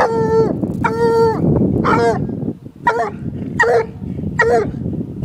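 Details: One-year-old female Walker hound baying at a caged raccoon, only the second raccoon she has seen. Loud harmonic bawls come in bursts about every second, some drawn out, others clipped, over a steady low rumbling background.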